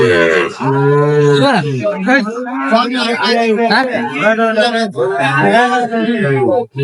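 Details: A Sahiwal bull calf at a cattle market, 10 June 2025, as a Dhaka farmer buys. It opens with a steady, low moo that bends downward at its end, followed by men talking loudly and bargaining.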